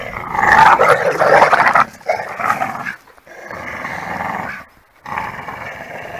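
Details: Pit bull terriers of 26 and 28 kg playing tug of war, growling hard: a loud rough sustained growl breaks into several long bouts separated by brief pauses, the strained rasping tone steady throughout.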